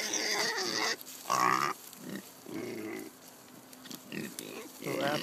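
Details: Kunekune sow Jenny, too excited at pumpkin feeding on a farm, dances and squeals. Rapid harsh squeals and grunts crowd the clip, some whiny and tonal, in quick succession.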